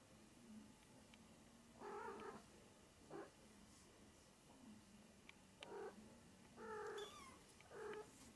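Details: Maine Coon kitten, 20 to 25 days old, giving a series of short high meows with bright harmonic stacks, five or six calls scattered irregularly over eight seconds, quiet indoor background.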